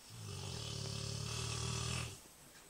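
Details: A single long, loud snore from a big Rottweiler, captured on an Android phone: a deep, buzzing, evenly vibrating rumble lasting about two seconds, then it stops abruptly into quiet.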